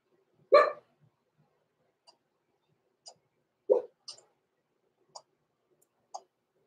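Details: Two blenheim Cavalier King Charles Spaniel puppies, six weeks old, in a puppy pen at night: two strong, harmonic yelps about three seconds apart, with faint soft clicks and squeaks in between.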